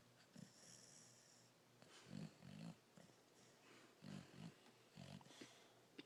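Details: Sleeping pet dog snoring indoors, low rough snorts in short bursts, some doubled, at irregular intervals with quiet breathing between.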